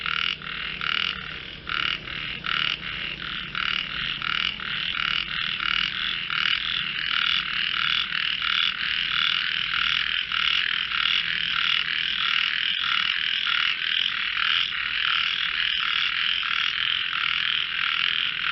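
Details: Frogs in a singing contest: distinct croak pulses at first, then merging into a dense, unbroken wall of rasping calls from many frogs.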